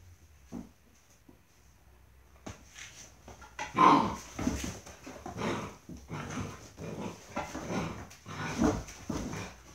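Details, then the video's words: Dobermann puppies playing together in an indoor kennel house in a breeder's training environment; short growly yips and scuffling bursts in irregular clusters, with thumps from moving about on the floor. "Dobermann valper"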